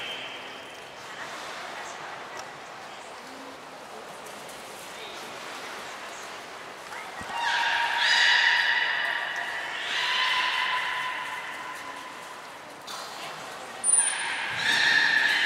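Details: Training session with belugas Mirai and Nico, Port of Nagoya Public Aquarium, 20 February 2021: quiet murmuring background for several seconds, then two rich harmonic droning calls, a brief high whistle and a final bright call.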